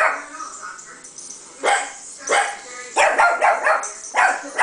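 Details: A female Chihuahua barks in short, shrill bursts, some single and some in rapid yapping runs, barking back at a speaker playing a recording of her own barking, apparently taking it for another dog; faint background sound between bursts.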